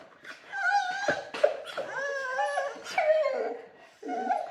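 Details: Dog in a kennel giving whiny, wavering whimpers and half-howls, a series of quavering tones broken by short breathy gasps, heard indoors in a small room.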